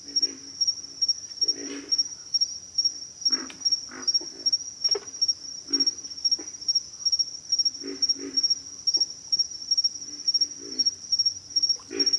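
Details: Hoarse, low grunts from pig frogs come in clusters roughly every one to two seconds, set against an unbroken high-pitched insect chorus.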